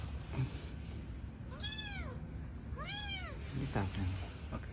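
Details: Newborn kittens living on the street with their mother: two clear, bowed, high-pitched meows about a second apart, rising then falling, over steady low-frequency background noise.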